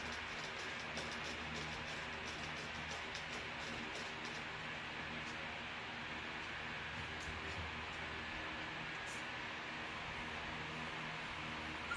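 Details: Steady broadband hiss and rumble with faint scattered clicks throughout, and no animal voice.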